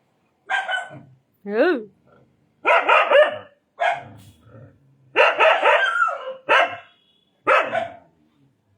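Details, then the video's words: Indian desi dog barking in a lively series of about eight harsh barks, some with a yelping rise-and-fall, spaced roughly one second apart in a quiet indoor setting. "Indian Dog | Desi Dog"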